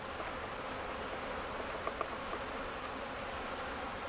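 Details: Swarming honey bees rescued on a farm in Ontario, Canada, on May 11, 2025, settled into a box; continuous broad droning buzz of many bees with a few faint higher ticks midway.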